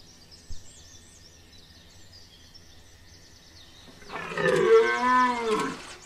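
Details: Red deer bellowing in the rut at Chambord, France, September 2021: after quiet with thin bird chirps, a loud, harsh, wavering roar swells for nearly two seconds and fades.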